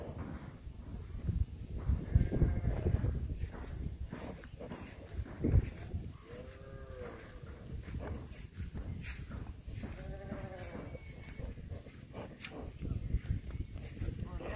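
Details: New bull at Silai Inathganj lowing: short, hollow moos around the middle and again later, over constant noisy background rumble and clatter.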